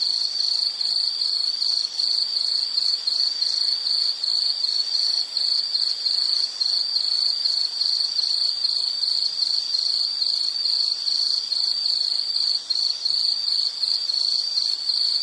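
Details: High, shrill insect trill in steady rapid pulses, sustained without break as soothing background for sleep or study; a soft hiss lies underneath.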